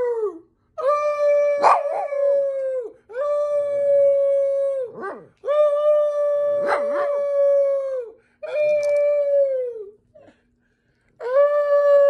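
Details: Pet Chihuahuas howling in a run of long, level tonal howls of about two seconds each, separated by short pauses, with brief sharp yips and barks cutting through several of them.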